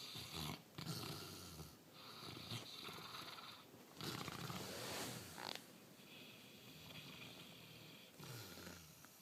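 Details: Diesel, a Bernese and Labrador mix dog, snores in his sleep with uneven rasping breaths, some long and rattling, some shorter snorts, rising and falling in loudness across the stretch.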